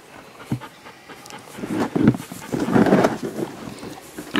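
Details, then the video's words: Female Siberian Husky and Alaskan Malamute hybrid struggling to give birth to her first puppy, crying out in pain: strained, breathy whimpering cries that rise and swell in the middle, with a person's soft encouraging voice nearby. "Husky Malamute screams giving birth to her first puppy"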